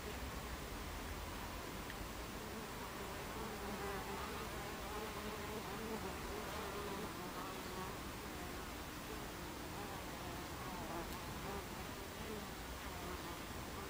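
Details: Buckfast bees at a beehive entrance on 26 July 2013 at 14:30, many insects together producing a steady, dense droning hum with low tonal overtones that persists unbroken throughout, without other clear sounds.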